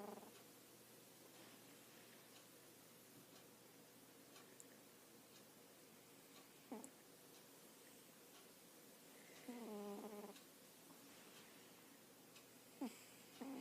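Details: Sleeping domestic cat snoring quietly: one longer wavering, buzzy snore in the middle, with scattered soft clicks and breaths before and after against faint hum.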